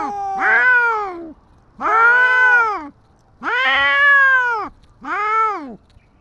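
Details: Tabby stray cat confronting a white cat on the street: four long, moaning yowls that swell and then drop in pitch, each around a second, with short quiet breaks between them.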